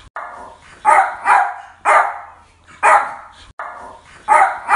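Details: Yorkshire Terrier barking: sharp, bright barks, some in quick doubles, spaced about a second apart with short silent gaps between bursts; no other sounds stand out.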